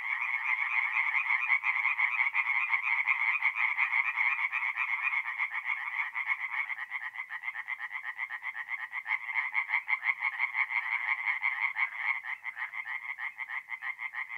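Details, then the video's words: Chorus of tree frogs at a north-east Italian forest pond on an April night. A thick blended rattle at first gives way to more distinct, rhythmic bursts of rapid croaks later on. "relaxing forest pond by night with singing tree frogs"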